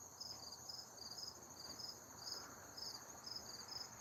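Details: Crickets heard outdoors as the weather turns cool: a brief run of bright, high chirps, paired and repeated about twice a second, with a continuous faint high whine behind them.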